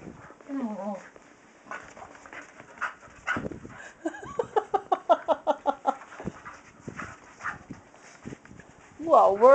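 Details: Female Staffordshire Terrier Kyree spinning after her tail indoors, giving a fast series of short, evenly pulsed voiced huffs mid-clip amid scattered breathy sounds, while a person speaks and exclaims around her.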